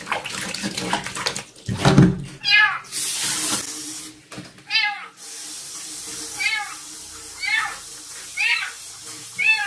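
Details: Female stray kitten from a construction site, during her first bath at night, mewing repeatedly: short arching high meows roughly once a second, over running tap water, splashing and a human voice talking.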